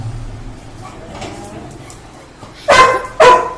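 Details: Labrador Retriever waiting eagerly for the father of the household to come home, having heard him arrive: two loud, sharp barks about half a second apart near the end, after quiet room noise, with a woman talking nearby.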